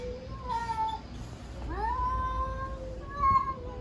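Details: Stray domestic cats in Istanbul challenging each other over territory, meowing loudly; drawn-out wavering meows with falling and rising tones, one rising yowl near the middle, over low background rumble.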